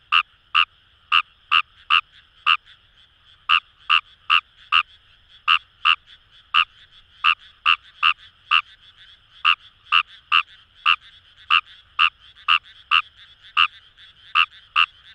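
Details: Paddy-field chorus of wild Fejervarya kawamurai near the Kamo River in Itoshima, Fukuoka: rapid clicking croaks, about two to three per second, in bursts separated by short gaps, with a steady faint trilling chorus behind.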